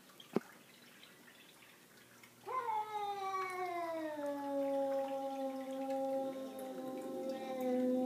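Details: Savannah cat, one of two indoors confronting an unwanted visitor, gives a sustained moaning yowl lasting over five seconds, starting sharply, sliding gently downward and then holding a steady tone, after a brief knock and quiet room background.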